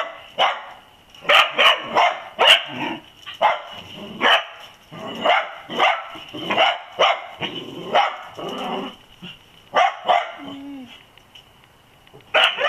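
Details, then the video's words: Dachshunds bark steadily at a possum caught raiding olives, sharp repeated barks about twice a second for most of the stretch, with a faint high hum behind. "Dachshunds Find Olive Raiding Possum"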